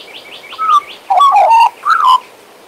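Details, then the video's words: Pet Western Australian magpie singing: a run of soft rising notes near 3-4k leads into rich, fluting warbled phrases around 1k, in three loud bursts separated by short pauses. "My Western Australian Magpie Warbling, Whistling and Singing!"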